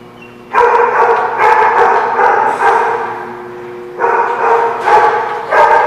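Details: Barking dogs recorded 23 September 2017, giving dense runs of loud, harsh barks in two bursts separated by a quieter stretch of more distant barking and a low steady hum.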